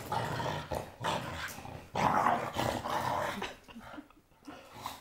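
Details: Blue Staffordshire Bull Terrier playing with a toy, giving rough, rumbling growls in bursts of about a second, separated by short pauses, with scuffling noises near the end.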